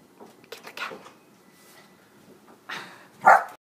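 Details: Pet dog Zooey, urged on to get the cat, which it searches for all day, gives short yelping barks and whines in scattered bursts, with a louder, sharper yelp near the end, indoors between bits of human voice.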